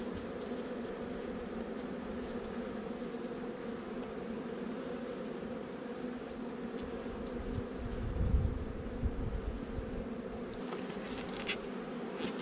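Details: Hum of a young honey bee colony, a nuc installed a little over a month before, heard during a hive inspection on 8 July 2020. The dense, steady buzzing continues throughout, with a low thump near eight seconds.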